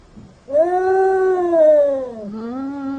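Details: A house cat said to be very jealous lets out one long, sustained, tonal yowl that sags gradually in pitch, dips, then rises again into a second drawn note.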